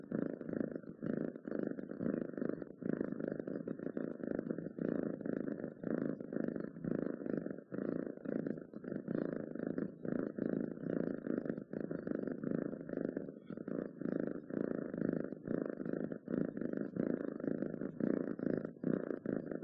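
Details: Contented house cat purring without pause, a dense low vibration throbbing in quick even pulses for the whole stretch, recorded up close in a quiet room.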